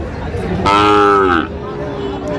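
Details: Sahiwal cattle at a livestock market in Narayanganj, Bangladesh, on 30 January: a single loud, clear moo under a second long that slides slightly downward and then fades. Steady market chatter and crowd noise carry on behind it.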